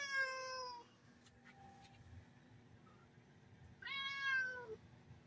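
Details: Indoor domestic cat meowing twice, a clear harmonic-rich cry that slides gently downward, the second rising then falling, separated by about three seconds of faint clicks.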